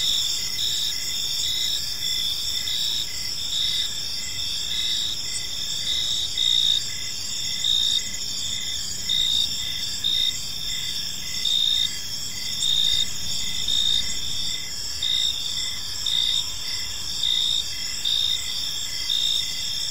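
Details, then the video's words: Steady evening cricket chorus in a park, high and ringing, with pulsed chirps coming in irregular bursts, louder toward the end, and no other notable sounds. "Park Serenade: Cricket Sounds in a Peaceful Park | Evening Ambience"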